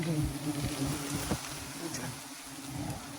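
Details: Bees buzzing during a honey harvest, a steady low droning hum with stacked tones under rough handling noise, with a few brief human voices.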